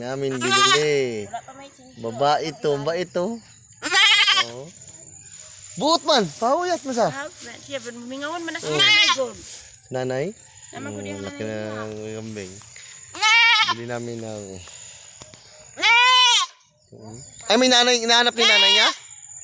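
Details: A group of goats in Mindanao, Philippines, with a chorus of loud, trembling bleats, high and low voices alternating, some drawn out, others clipped, repeated throughout.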